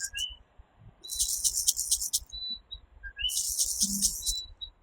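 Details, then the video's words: Coquí tree frog in a Puerto Rico night chorus, giving two crisp 'co-kee' calls, a low note then an upswept higher note, set against loud, shrill, buzzing bursts and a few thin whistled tones. "Coquí Serenade | Authentic Puerto Rico Night Sounds"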